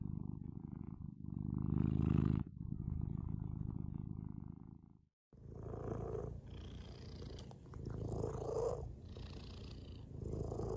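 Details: Domestic cat purr, soft and low, swelling and fading with each breath; a brief silence near the middle, then a different purr resumes with faint rustling and higher breathy overtones.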